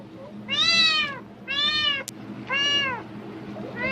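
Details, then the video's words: Cat crying in response to the crackle of a plastic bag, seemingly thinking food is near: four clear arched meows, roughly one per second, with a sharp brief click between the second and third. "비닐봉지 소리에 폭발적 반응하는 고양이 울음소리(Cat sounds in response to the sound of plastic bags)"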